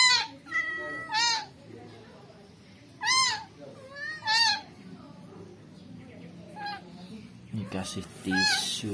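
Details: Rescued newborn kitten giving several high, bowed meows in quick pairs during the first half, then quieter mews as human speech and handling noises take over toward the end.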